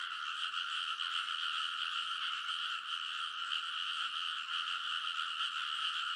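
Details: Frogs chorusing loudly along rice paddy banks late at night in early summer, Kōnosu, Saitama, Japan, TASCAM Portacapture X8; a continuous buzzing din of overlapping croaks with slight swells in volume.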